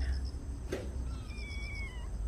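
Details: A stray yellow cat named Norang (Yellow), coming to a yard for food and offered a Churu treat, gives a short, faint falling meow with a thin harmonic tone. Steady insect chirping pulses behind it, and a brief knock is heard.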